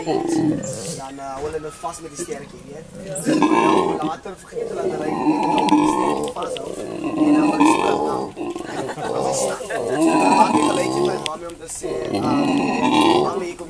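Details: Captive male howler monkey at Monkeyland sanctuary, South Africa, 'talking' while his mate and young hang about nearby. After a quieter start, guttural roars swell and continue in long rasping waves with short pauses between.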